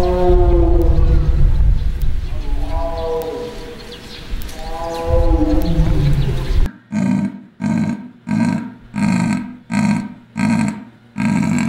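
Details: Zoo animal calls: first a run of wavering, tonal howl-like calls with rising and falling harmonics over a low rumble, then a new sequence of about eight short, rasping pulses repeated roughly every 0.7 seconds.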